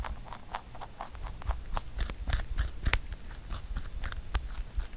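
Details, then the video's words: Pet rabbit Huchu munching a carrot-made songpyeon for the Chuseok holiday indoors: steady fast crunching, sharp bite clicks repeating several times a second throughout. "토끼 후추의 당근송편 먹방 ASMR / Rabbit eating sound with Carrot SongPyeon"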